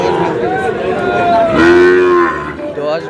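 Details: Sahiwal bull calf at a cattle market on 23 June, giving one loud, drawn-out moo that holds a steady low tone before trailing off, with a shorter lowing note at the start and human chatter in the background.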